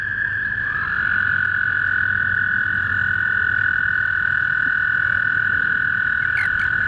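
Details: Spring toads at a small backyard pond: an unbroken, even, high trill runs through the whole stretch. Faint low rumbling and a couple of brief clicks sit underneath.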